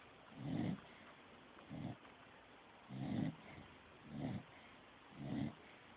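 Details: A dog named Stifler snores in steady low rasping pulses, five rough breaths within six seconds, some longer and louder than others, each a grainy rumble trailing off into near silence between.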